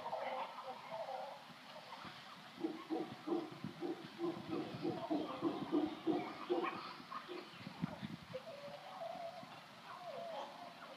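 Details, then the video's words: Wild howler monkeys in a boat yard at Shelter Bay, Panama: deep, guttural pulsed roaring builds into a rapid run of throaty grunts for several seconds, then fades to lower rumbling over steady background noise. "Howler monkeys Shelter Bay Panama"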